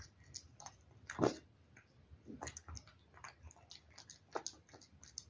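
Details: Housecat working through wet food: scattered wet smacks and tongue clicks, one loud gulping bite near the start of the second second, then lighter irregular chewing noises in a quiet room.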